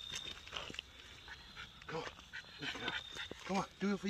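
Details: Staffordshire bull terrier female exercising outdoors on her daily workout. A quick run of short, harmonic barks clusters in the final second, after a stretch of people talking and general outdoor noise.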